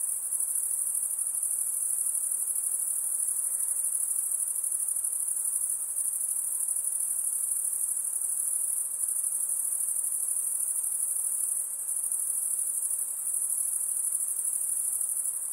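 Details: Insects calling by a lake, a long steady high shrill drone resembling a cricket chorus, unchanging over the whole stretch, with only a quiet background hiss below it.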